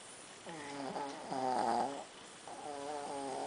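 A Shih Tzu snores in deep sleep with wavering, nasal, whistly breaths.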